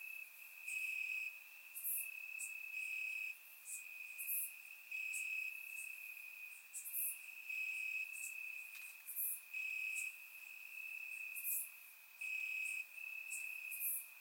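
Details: Bulgarian summer night, crickets chirping in the grass, surround-mic capture; steady piercing trill broken into louder one-second bursts, layered with frequent sharp very high clicks from other insects.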